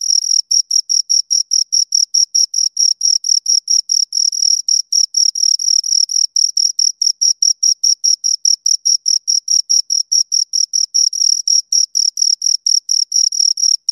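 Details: Continuous chirping from two crickets. Short, shrill pulses repeat at a brisk, fairly even pace of more than two per second. The backdrop is completely quiet, with no wind, voices or other animals.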